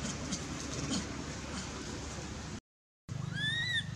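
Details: Young monkey Anissa of Angkor Wat Temple, in mouth pain from being hit and dragged by Aron: after rustling and a short gap, one loud arched whimpering cry with layered overtones closes the moment.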